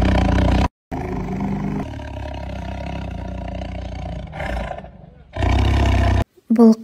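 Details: Low, rough tiger growl in rumbling bursts separated by short silent gaps, fading midway before a strong final surge and a brief human voice at the very end.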